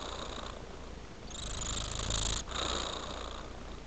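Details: Domestic cat purring while asleep: steady low rumbling purr, continuous throughout, over a constant hiss of background noise.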